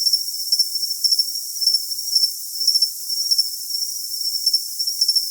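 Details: Cricket chirping, recorded as a tinnitus masking sound: short high, clear pulses in pairs and triplets about every half second over a steady high hum, with no low sounds at all.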